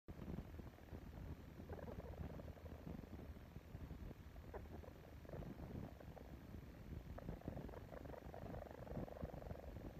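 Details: Baby crab-eating raccoon suckling on a human pacifier, giving a steady low purring churr with soft wet sucking pulses and brief nasal, harmonic whimpers rising over the rumble in a few places.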